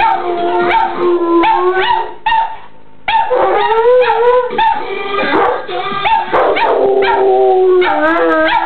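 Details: Two pet dogs, Joey and Jenny, howl a duet prompted by a song playing in the background: long wavering, sliding howls overlapping one another, with music audible throughout.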